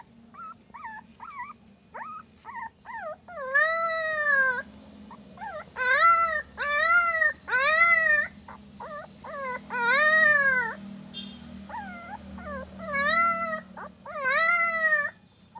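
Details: Puppy voice moving from short, broken whimpers into a series of loud, arched howls, each roughly a second long, repeated with brief gaps and a soft low hum underneath.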